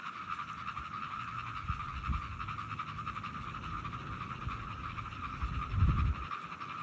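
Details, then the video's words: Frogs recorded on 17 June 2022, giving low, rapid, rough croaks in a steady stream, with a louder, deeper burst of croaking near the end over a constant high background hum. "frogs sounds"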